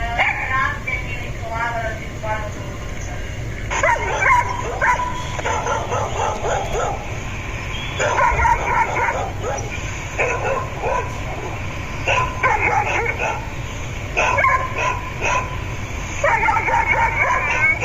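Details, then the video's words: Domestic dogs barking to get their owners to open doors; bursts of sharp barks and yaps come in irregular clusters, several a second, with pauses between and voices in the background. "Dog Barking Sounds Effects | Realistic Dog Barks Sounds | Dog Sounds ASMR"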